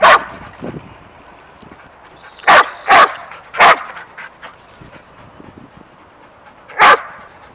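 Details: Sadie the dog, excited and jumpy for an unseen squirrel, gives sharp loud barks: one at the start, a quick run of three in the middle, one more near the end, with soft panting between.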